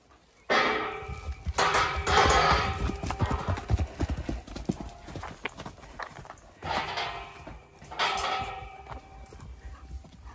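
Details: Horses on a regenerative farm in County Kilkenny, Ireland, galloping out through an opened gate and up the hill: a rapid, uneven drumming of hooves in bursts, with a whinny-like call and music over it.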